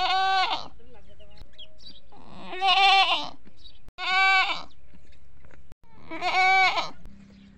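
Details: Desi goats, both males and females, on a goat farm, calling for food or for their kids; four loud, nasal, harmonic-rich bleats, each about half a second long, separated by pauses of one to two seconds.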